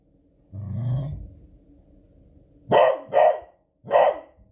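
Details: Beagle Smudge, a female dog, responding to booming fireworks on a Friday evening: a low rumble first, then three quick, loud, ferocious barks close together.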